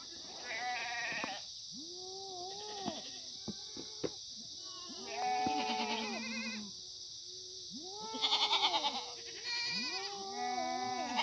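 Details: Free-range Korean black goats on an antibiotic-free farm in the Muchuksan foothills, Yeocha-ri, Sangdong-myeon, Gimhae, South Gyeongsang, on a sunny Monday morning, 9 September 2019. Several goats give overlapping wavering bleats, some arched and nasal, some flat and drawn out, over a steady high hiss.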